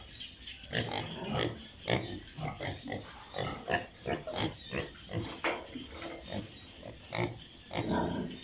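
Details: Piglets crowded on a pig farm, a dense run of short grunts and snuffling squeaks repeated several times a second, rising and falling in waves throughout.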